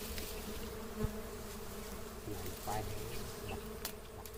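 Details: Natural honey bee nest beside a house: a constant low buzzing hum of many bees, even and unbroken, with a few faint clicks and knocks over it.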